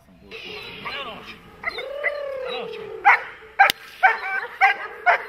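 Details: Dog in protection training, a German Shepherd, Malinois or similar working breed, barking in loud sharp single barks about every half second in the second half, after a man's voice and a drawn-out whine-like tone.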